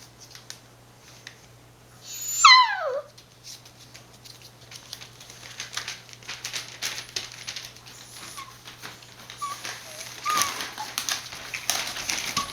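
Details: Border Collie puppies born 19 September 2020 and filmed 1 November at a breeder in Fukiage, Hioki, Kagoshima, Japan. One puppy gives a single high, sliding whine that falls steeply in pitch. Soft rustling, scratching and faint squeaks follow.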